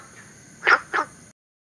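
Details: Günther's frog, native to southern China and introduced to Singapore, giving one quick pair of short, rasping, bark-like notes over a faint steady high hum.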